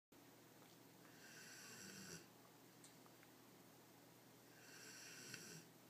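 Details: Greater Swiss Mountain Dog asleep indoors: two hissing, breathy snores about a second long, spaced roughly three seconds apart, with a quiet steady hum between them.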